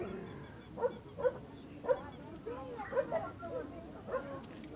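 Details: American Staffordshire Terrier Attila of Jan's Gate Kennel, a 49 cm, 31 kg stud dog, giving a series of short, sharp barks roughly once a second, each bright and clipped, with quieter murmuring sounds underneath.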